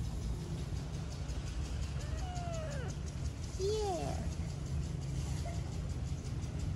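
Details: A stray street kitten that has settled on a lap to be petted gives two drawn-out, arching meows. Each falls away at the end, and the second is lower and shorter. A steady low rumble runs underneath.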